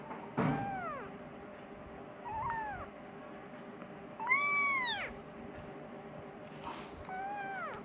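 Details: Persian kitten meowing for its mother and wanting food, indoors; four arched, rising-then-falling meows with bright harmonics, the loudest and longest near the middle, spaced about two seconds apart over a low steady background hum.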